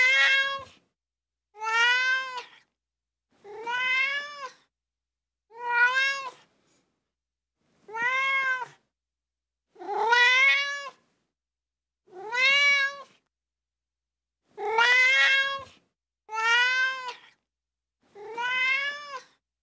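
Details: Repeated crying meows from a ginger tabby kitten, about ten short arched calls spaced near two seconds apart, even loudness, nothing else audible and no music.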